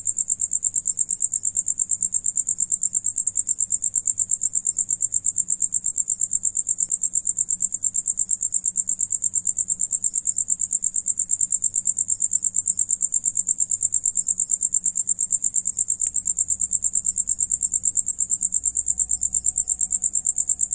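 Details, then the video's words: Crickets singing, one among them eating, produce a steady piercing trill of fast even pulses for the whole stretch; a sharp click and a slight rise in low rumble appear toward the end. "Sonido de Grillo"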